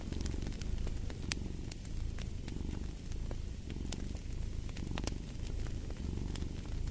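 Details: Pet cat purring, a dense low vibration pulsing in even breath-length waves, set against the snapping and crackling of a fireplace.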